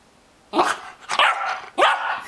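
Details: Soft Coated Wheaten Terrier puppy, 15 weeks old, indoors on a couch with a favourite squeaky toy it dragged up for chewing. Three short, bright, harmonic yelping barks come about half a second apart after a quiet start.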